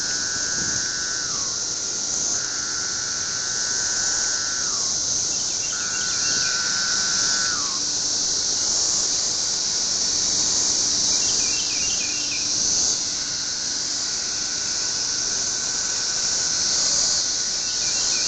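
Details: Tree cicadas, captured on an Android phone, drone in a steady shrill buzz throughout; a bird adds repeated falling whistled notes about every two and a half seconds, plus short trilled chirps higher up.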